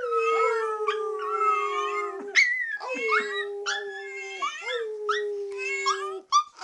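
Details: A pet teacup Chihuahua howls in response to a meowing cookie jar as her family howls in the background. Steady held tones repeat in long phrases, broken by sharp upward yelps and quavering, sliding cries from several voices.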